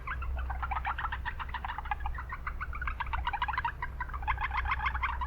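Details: Japanese brown frogs calling in an urban wetland, many soft rapid clucking notes in dense overlapping trains throughout, over steady low traffic-like rumble.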